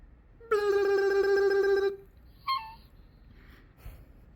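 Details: A Yorkshire terrier puppy gives a long, steady, nasal whine, then a brief higher yelp.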